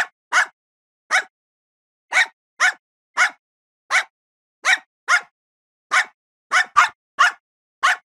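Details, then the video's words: Dog barking in short, sharp single barks, about thirteen over eight seconds, spaced unevenly with clean silence between them and nothing else audible. "Szczekanie psa"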